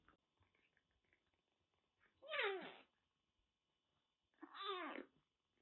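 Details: Rescued kitten, found soaked during record heavy rain in western Japan with a bad cat cold, now recovering indoors in Kagoshima; two clear harmonic meows, each about half a second, spaced roughly two seconds apart in a quiet room.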